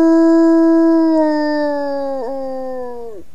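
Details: Wolf howling to its family group: a steady tone slowly drifts lower and fades, with a small wobble near two seconds and a final downward drop as the howl ends.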